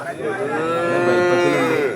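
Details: Young bull calf being traded at Kollannur cattle market: one long, drawn-out harmonic moo held steadily for nearly two seconds, slightly rising then easing off at the end, with little else audible.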